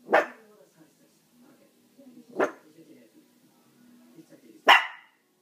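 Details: Chihuahua giving three loud, sharp single yaps over five seconds, the last the strongest, with soft low murmurs in the gaps.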